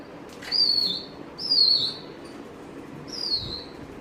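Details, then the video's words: Waiting keenly for its owner, a Dobermann repeats high, thin whines that slide downward, three drawn-out notes roughly a second apart against a quiet indoor background. "waiting for dad eagerly making funny sound"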